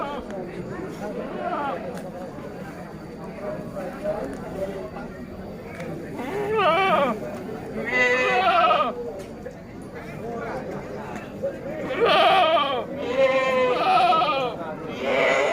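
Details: Bligon semi Jawarandu breeding goats, males and females kept for sale, recorded 18 April 2025; several quavering, vibrato-rich bleats come in the second half, some overlapping, after and between a man's steady talk.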